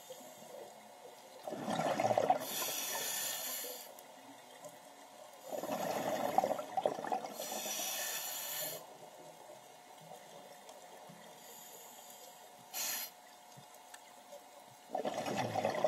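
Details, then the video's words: Loggerhead sea turtle with repeated breathy snorts. Three long hissing exhalations and one brief sharp puff are spread over the recording, alongside splashing and gurgling water. "Loggerhead sea turtle"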